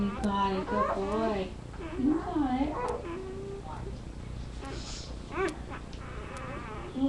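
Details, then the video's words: Labrador retriever puppies whimpering together on a live indoor puppy cam; dense, overlapping wavering cries, loudest in the first three seconds, then sparser squeaks over a steady hum. "Puppies Making Noise"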